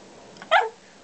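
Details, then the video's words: Pet dog 'talking' to its owner about his day at the office: one short, bright harmonic yelp-whine, about a fifth of a second long, in a quiet room between the owner's questions. "Dog talking about day at the office."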